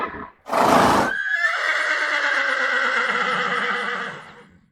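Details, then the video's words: Horse in a round: a short, harsh snort gives way to a long, loud neigh that holds steady with a tremulous waver, then slowly sinks in pitch and fades out. "Horse In A Round Sound Effects Bundle"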